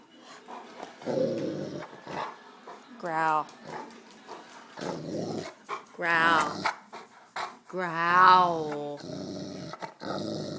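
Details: Black Russian Terrier growling on command while giving rides, low rough rumbling bursts of a second or two, repeated several times, mixed with people talking and a voice giving the command.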